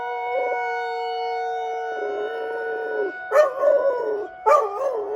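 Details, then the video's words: Outdoors in Rochester, Minnesota, a pet dog howls through the weekly tornado siren drill. A drawn-out level howl breaks into short, wavering, yodel-like pulses near the end, all set against the siren's unbroken tone. "Dog howling at Tornado siren drill"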